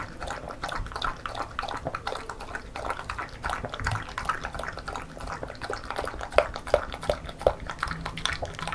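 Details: Female Beagle lapping homemade banana porridge in a small room; quick sticky licks and wet chewing roughly every third of a second, with a few sharper clicks near the end.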